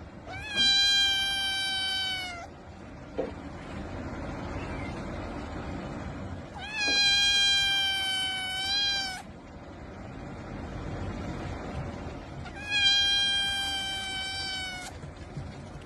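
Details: Domestic cat shown close-up among cute kittens, repeating three long, loud, tonal meows about every six seconds, each steady then slightly falling at the end, with quiet room noise between.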